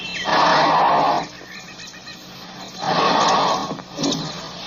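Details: African elephant giving two loud, harsh, noisy trumpeting blasts about a second long each, a few seconds apart, followed by a shorter third burst, over a low rumbling background.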